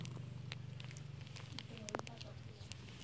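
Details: A grown domestic village cat purring in a low, steady rumble pulsing continuously throughout while still suckling.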